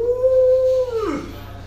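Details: Alaskan Malamute named Luo Luo, a pet dog at home being woken up, gives a steady, level howl held nearly a second before sliding down into a short breathy drop; a low background hum runs beneath.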